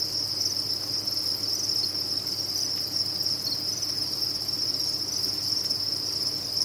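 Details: Numerous farmed crickets chirping at once, blending into a continuous piercing high-pitched drone that never breaks, evenly loud from start to finish, faint low hum in the background.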